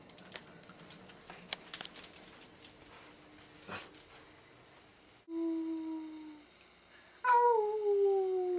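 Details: Indoor recording of a five-year-old female Siberian Husky. After several seconds of low background noise and clatter, two long, smooth howl-like tones slide slowly downward, the second louder.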